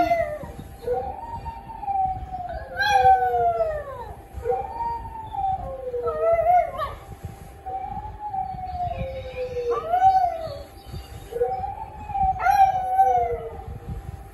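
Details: A pet dog keeps howling in repeated long notes, several swooping sharply downward from a high start, others held level and wavering, phrases spaced a few seconds apart, faint hum beneath.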